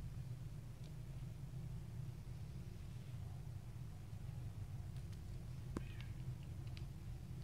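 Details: Little stray kittens playing, biting and pouncing on each other; a short, faint high meow with stacked harmonics rises near the end, over a steady low hum and a few scattered sharp clicks of scuffling.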